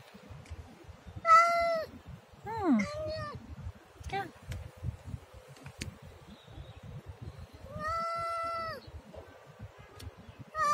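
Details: Siamese cat meowing three times: a steady drawn-out meow, then a wavering one that drops sharply in pitch, and later a long even meow of about a second, with soft tapping and rustling between calls.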